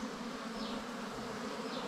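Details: Wild bees at a nest during a honey hunt: a steady, low droning buzz holds one even pitch with faint overtones above it and never breaks across the short stretch.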